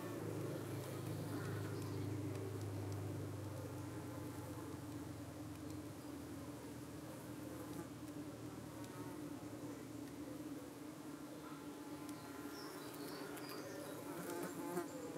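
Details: Honey bees at a UK hive in the evening, under attack by suspected parasitic flies darting at their abdomens while the bees defend themselves. A steady, dense buzzing hum holds throughout, with a deeper low rumble during the first three seconds.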